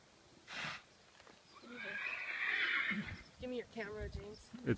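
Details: Gypsy Vanner colt, a young male horse being brought to his new home, gives a loud drawn-out whinny in the middle, shaky and wavering, with people talking over the end and hooves shuffling nearby.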